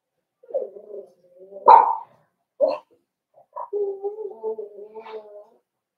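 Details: Cavalier King Charles Spaniel puppies in an indoor puppy pen, meeting older dogs brought by for socialization on 13 December 2022: a few short yelps, then a drawn-out, wavering tonal whine lasting over a second.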